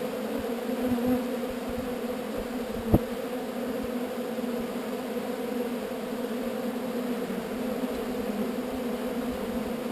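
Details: Honey bees from a swarm moved away from an unwanted spot, buzzing together in an even, unbroken drone, a single sharp knock just before the third second.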